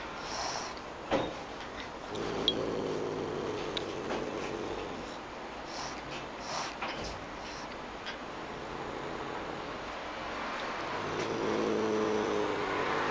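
A Pallas's cat hisses in short, breathy bursts of air, an angry warning.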